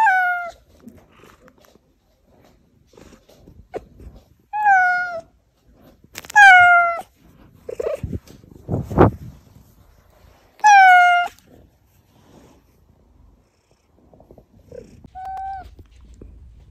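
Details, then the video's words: Pet cat Oz meowing, a sound played to lure the household's hiding cats Oz, Meonji and Dubu out. Several loud, harmonic meows, some slightly falling, spaced irregularly, with soft thumps and rustling between them indoors. "고양이 부를때 들려주면 쪼르르 /고양이들 유인할때/고양이 울음소리"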